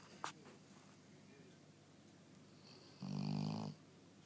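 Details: Sleeping dog gives one rumbling snore about three seconds in, a low throaty inhale with a buzzy nasal edge lasting under a second; the rest is quiet room tone with a faint click near the start.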